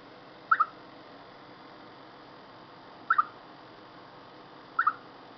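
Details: Chipmunk calling before bad weather: three short double-noted chirps, each a quick pair of mid-pitched notes, spaced about two to three seconds apart over a steady low background hiss.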